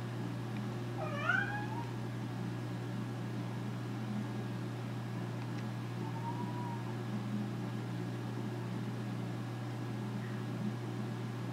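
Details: Nora the American Curl cat, bored and asking for something to do, gives one strong wavering meow, then a softer, flatter mew several seconds later, with a steady hum beneath.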